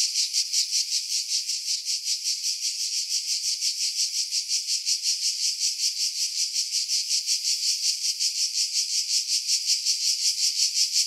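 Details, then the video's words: July 2018 cicadas in seaside pines about 50 m above Pefkos Bay, Skiros, Greece; a continuous high-pitched rasping drone pulsing regularly, roughly three beats per second, throughout, with wind filtered out. "Cicada Sounds, July 2018 Skiros, Greece"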